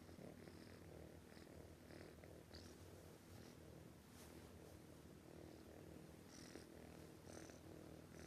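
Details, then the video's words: Sleeping cat snoring heavily, a rough low rumble running throughout with airy breath noises repeating at short, fairly even intervals. "This cat snoring too loudly, can't let it sleep"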